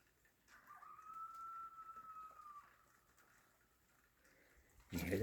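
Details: Coyotes whine and howl at 4 am, with a single drawn-out, high wavering howl in the distance held for about two seconds, prompting a cat outside to want to come in.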